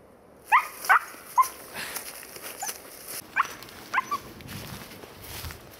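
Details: Lihkku, a four-month-old female Siberian Husky from Sweden, out deer hunting, gives six short, sharp, high yelping barks: three quick ones in the first second, then a pause, then three more, over quiet outdoor background.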